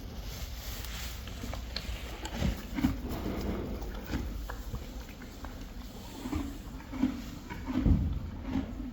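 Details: Friesian horses and foals chewing hay indoors, a soft crunching and grinding in irregular bursts, with a steady faint high hiss behind it.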